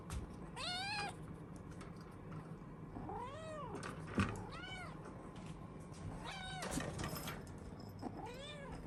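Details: Kitten sharing a home with a large dog, heard on a morning routine; clear, high arched meows repeated roughly every one to two seconds, each rising and falling, over a quiet indoor background.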